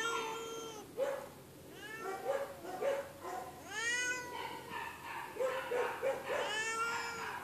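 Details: Loud feral shelter cat giving drawn-out arched meows alternating with short rough hissing bursts, roughly one wail every one to two seconds.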